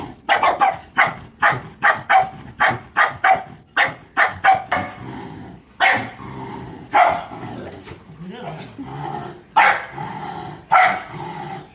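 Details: Dog barking in sharp, loud bursts, about one a second at first, then slower, longer barks; spoken voices in the background.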